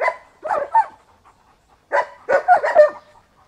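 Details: At a German Shepherd breeding kennel, dogs bark as visitors pass the pens: two clusters of harsh, loud barks, the first of three, the second a rapid run of four, separated by a brief quiet gap.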